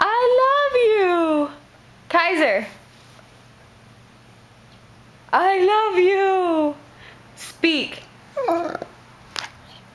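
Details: Kaiser, an Alaskan Husky lying on the couch and urged to speak, answers with long wavering howls that rise and then slide down, plus shorter yelping whines, while a person keeps repeating "I love you" and "speak".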